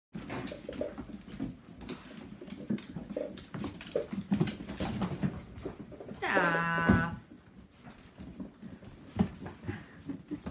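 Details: Ten-week-old Whippet puppies from the litter of Saffi and Solo; one drawn-out, slightly wavering whine with rich harmonics sounds late in the clip, surrounded by scuffling, paw patter and low rumbling handling noise.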